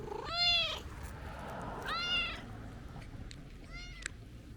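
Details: Tabby-and-white stray cat scolding after a long separation; three upward-sliding, whiny meows, the first two loud and drawn out, the last shorter and softer, with a faint click near the end.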